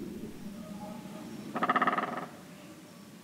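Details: In the early morning in February 2018, in the Linum pond area of Brandenburg, Germany, one of two Eurasian otters that had spotted the filmer gives a short, rapid, buzzy chatter of about a dozen pulses; Eurasian otter.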